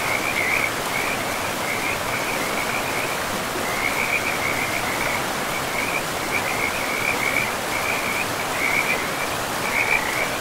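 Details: Forest river with frogs: short bursts of rapid, high-pitched pulsed trilling repeat every second or two with small gaps, set against the constant hiss of running water.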